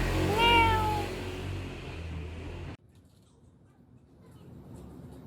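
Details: A single clear, falling meow from a stray neighbourhood cat, recorded in 2019 with a Samsung Galaxy S9+. Low rumbling background noise runs beneath it, then cuts off to near-silence for the remaining seconds.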